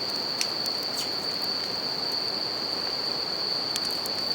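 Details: Bell crickets sing a bright, unwavering high trill near a crackling campfire, with a few sharp wood pops early and late and a steady river rush filling the background.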